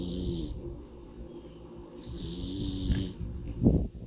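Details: A pig dozing in the sun gives low, rumbling snores with a breathy hiss on top. Two long, drawn-out breaths are followed by a short grunting snort at the end.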